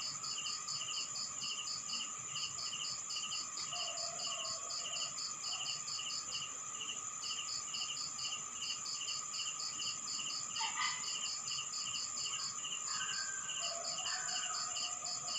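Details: Crickets at night in a rural Philippine town: rapid, evenly spaced high pulsed chirps, about three a second, over a slower lower pulsed trill and a steady high ringing drone, with faint scattered animal calls.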